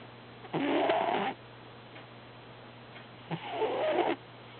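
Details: Two long rasping snores from Herbie, a cat deep in an active dream, each breath noisy and broad with faint tonal traces, separated by quiet hum.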